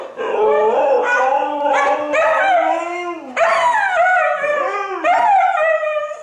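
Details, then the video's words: Siberian huskies Toga and Major give short, rising and falling howls mixed with yelping notes, several bursts in quick succession with brief dips between them. "The Husky Chorus (huskies howling)"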